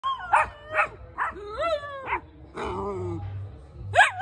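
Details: Cocker Spaniel puppy giving a string of high, wavering whines and yelps, some sliding upward then down, in short bursts roughly every half second, with soft music underneath.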